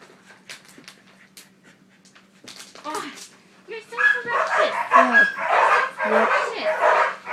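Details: Puppy playing tug, giving a run of rough, grumbling play growls and short barks that grow louder and denser in the second half, with a person talking quietly earlier.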